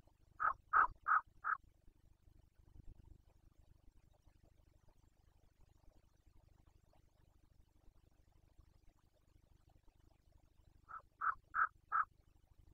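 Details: Carpathian stag in Bucovina, Romania, in the 2021 breeding season, giving two bursts of four quick, hoarse grunts each, separated by about ten seconds of low rumbling background hum.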